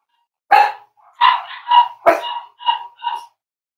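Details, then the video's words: Cavalier King Charles Spaniel puppies playing with each other and exploring during potty training. A run of six high, bright yips and short barks, each with a sharp onset and a fading tail, comes roughly every half second in a quiet indoor space. "Cavalier Puppies Live: Potty Training, Exploring, Playing with Each Other"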